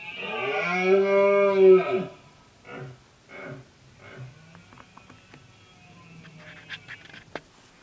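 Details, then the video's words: Red deer male during the late-summer rut, trying to gather a group of females and drive off other males; one loud, deep, two-second harmonic roar, followed by a few short, quieter grunts and faint knocks. "BERREA DEL CIERVO/BRAMA DO VEADO"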